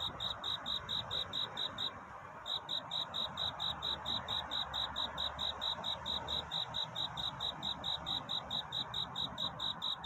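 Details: Cricket calling for a mate in the night and early dawn: regular high-pitched chirps, about two per second, briefly pausing then resuming, over constant hissing background noise.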